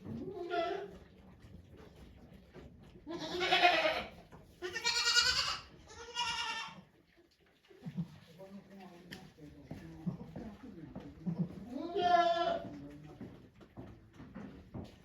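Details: Okayu, a female goat at Yoshigake Farm in Japan, in labour with twins on 3 May 2023 while volunteers watch. Harmonic, wavering bleats come in three bursts early and another later, with quiet human talk between them.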